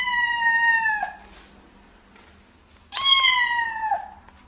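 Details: Domestic cat meowing twice: a steady, slightly falling meow about a second long, a pause of nearly two seconds, then a second brighter meow that starts high and slides down, with faint background hum.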